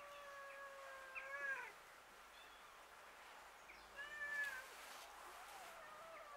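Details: Street cats fighting over food outdoors, two drawn-out, wailing meows several seconds apart, faint against steady background hiss.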